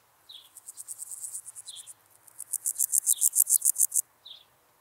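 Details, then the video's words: Meadow grasshopper recorded in Elsbethen, Austria, on 27 July 2019: two trains of rapid, pulsed high-pitched scratching chirps, the second louder, with brief lower chirp notes recurring between them, likely another insect or bird. "Pseudochorthippus parallelus -- Gemeiner Grashüpfer -- Meadow Grasshopper"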